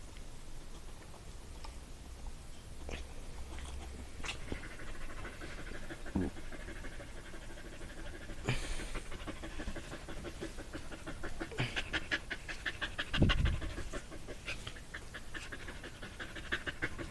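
A dog pants in fast, rhythmic, chuffing bursts that sound like a steam train.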